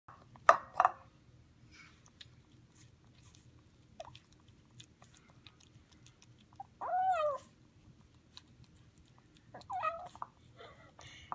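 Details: A two-week-old Highland Lynx kitten eating a chicken dinner gives short, rising-and-falling "yummy" meows, a purr and meow mixed together, with chewing sounds between them.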